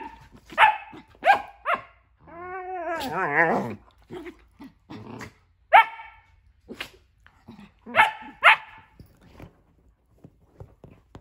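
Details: Two pet dogs, Nala and Jersey, at play in a new playroom as Nala keeps Jersey out of a tent; sharp single barks in short bursts, a drawn-out rising-and-falling whine-growl in the middle, then more spaced barks.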